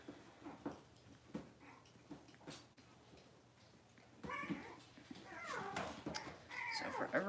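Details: Six-week-old Cavalier King Charles Spaniel puppies in an indoor puppy pen, being dewormed and having toenails trimmed; high, wavering yelps and whines with bending harmonics in the second half, over a person talking and handling noises.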